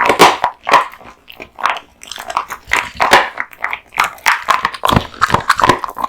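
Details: Kotetsu the male American Bully gnawing raw meat and bones at lunch indoors; wet chewing mixed with sharp bone crunches, uneven bursts with short pauses between bites.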